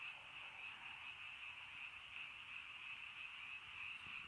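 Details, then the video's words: A steady, rapidly pulsing frog chorus in the rainy countryside in early night, many overlapping croaks forming one continuous high trill. "비 시골 저녁 개구리 소쩍새 rainy countryside frog bird in early night"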